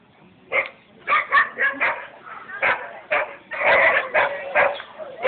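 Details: Small Munsterlander running Novice Steeplechase 2 at the UKA Valentines Show agility event, 12 February 2012, taking first place: rapid sharp barks, about a dozen bursts in quick succession, over indoor arena noise.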